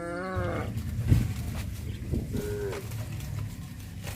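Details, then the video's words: Cattle on a traditional village farm walking back to the barn along the village road: a harmonic, slightly falling moo opens, a short higher call follows near the end, over a steady low rumble. "Sound of cows"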